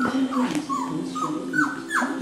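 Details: Male Cockapoo puppies, four brothers, recorded 18 April 2014, wanting to be picked up: a run of short high whimpers, each sliding downward, repeated roughly every quarter second, over a steady low hum.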